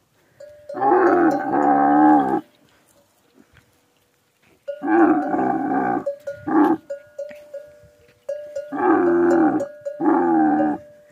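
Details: Camels at a camel meeting in the Thar desert give harsh, rumbling, harmonic-rich bellows. Four bursts of one to two seconds are separated by pauses, and a short grunt sits in between. A steady ringing tone sounds intermittently between them.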